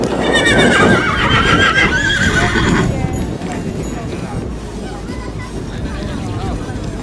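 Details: Naughty horse at a horse show giving a loud, shaky whinny with stacked tremulous tones over the first three seconds, then fading into crowd noise, hoof clops and a voice exclaiming.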